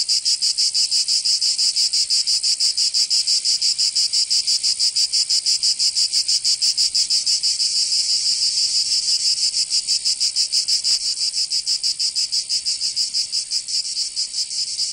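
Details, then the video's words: In Provence, southern France, summer cicadas keep up an intense, high-pitched rasping chorus, pulsing rhythmically around three beats per second and never pausing. Only the insects are heard. "Canto Cigarra 🦗 [ Escuchar les cigarras en verano"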